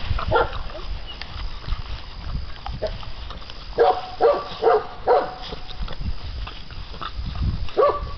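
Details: Young American Bandog Mastiff puppies, aged six weeks, tug at a string-tied chicken during a prey drive test; a quick run of four sharp yelps midway, with scattered fainter whines and steady scrabbling underneath.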